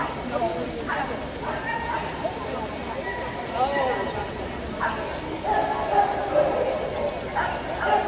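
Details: At the 2022 Boston Terrier Best of Breed judging in Sioux Falls, SD, clipped barks and yips come every second or so, unevenly spaced, beneath loud human speech and the background chatter of the show crowd.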